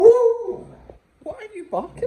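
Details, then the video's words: A beagle demonstrating its upside-down howl and cough technique, indoors: a wavering, tonal howl held for about half a second, then tapering off. After a short silence come brief voiced sounds mixed with a person talking. "the upside down howl and cough technique"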